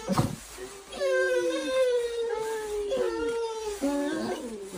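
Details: Dog resisting a trip to preschool lets out mournful howls that slide slowly downward, three drawn-out cries in a row, with a voice murmuring underneath.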